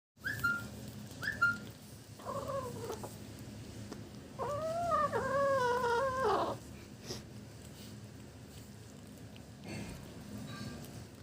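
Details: Kitten eating fish for the first time, making yum-like sounds: a few short high murmurs, then a run of wavering, harmonic, arching mews over two seconds, fading into quiet chewing-room background.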